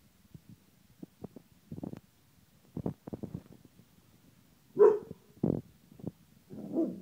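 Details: A one-year-old Dalmatian playing with a Queensland Heeler, pecking at it like a woodpecker, makes soft grumbles and huffs, then two short, sharp barks and a low growly whine, irregular and scattered across a few seconds.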